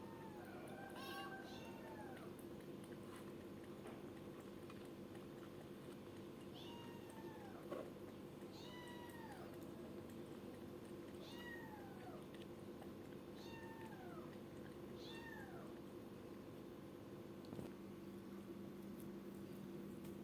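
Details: Kitten calling repeatedly in a small indoor space: a long series of short, high, falling meows, roughly one every second or two, fairly soft against a steady background hum, with a couple of faint knocks.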